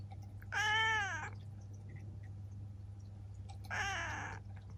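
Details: Ciel, a seven-year-old female black cat kept as a pet in Japan, meowing indoors: two clear, harmonic-rich meows, the first longer and gently arched in pitch, the second shorter about three seconds later, over a steady low background hum.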